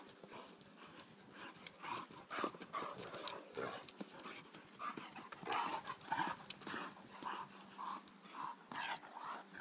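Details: Connor and Margo, two three-year-old Irish Wolfhounds, at play: quick rough breathy puffs come in uneven bursts, about two a second, with scuffling and thumps of movement between them.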